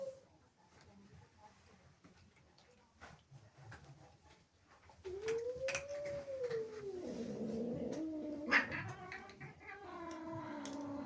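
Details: Angry female house cat, upset that a group of kittens came indoors: a few seconds of quiet room noise, then a rising-and-falling moaning yowl that turns into a wavering, grumbling caterwaul.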